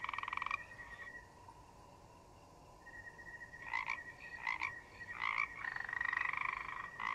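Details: A loud rattling frog croak opens, followed by a lull, then a run of short pulsed croaks building into a longer rasping one, about eighty-two a minute, with a steady high insect tone behind, in a forest.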